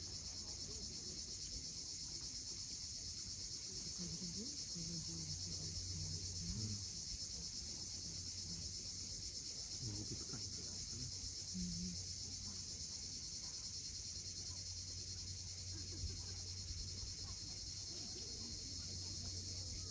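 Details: Cicadas calling at sunset on the steep coast of Cape Fiolent, Crimea: a continuous, even, high-pitched buzzing wash holds throughout, over a low rumble of waves and a few faint low tones.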